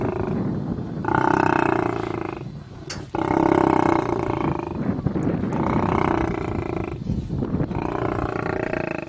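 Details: Lions fighting, giving harsh, tonal snarling roars in long bursts of one to two seconds, separated by short gaps, loud and close, with rough growling between outbursts.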